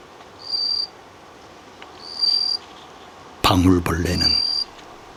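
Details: A bell cricket rings out short, pure, high tinkling notes, repeated with pauses, made by rubbing small bumps on its wings, an autumn love song in a temple's grounds, while a man talks briefly.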